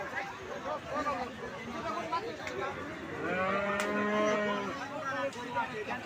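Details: Cattle at the Ekdanta cattle market in Pabna, Bangladesh, sold for Qurbani in 2024; a long, low, droning moo with layered harmonics swells midway, amid steady crowd chatter and market noise.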